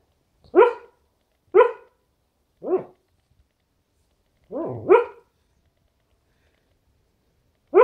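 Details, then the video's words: A sleeping dog barks in its sleep: short, sharp, mid-pitched woofs, about six over eight seconds, coming singly or in a quick pair at irregular gaps, with silence between them and no other sounds. "Sleeping dog barking"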